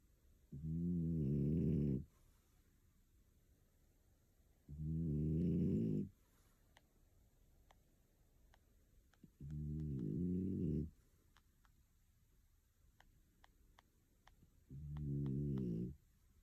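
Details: Asleep indoors in Tokyo, a one-year-old female French Bulldog named Picco snores heavily: four deep, buzzing, drawn-out snores about every four to five seconds, separated by quiet breathing pauses with faint clicks.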